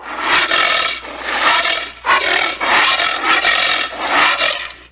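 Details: Rough, hissing exhalations of a giant anteater, about five noisy bursts in quick succession with short pauses, grating and breathy, recorded up close without background sounds.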